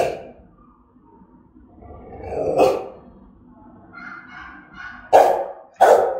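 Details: Threatening, aggressive barking of a German-type Rottweiler in Vietnam: a gruff bark near 2.6 seconds, then two sharp, loud barks close together near the end, with faint tonal whining between.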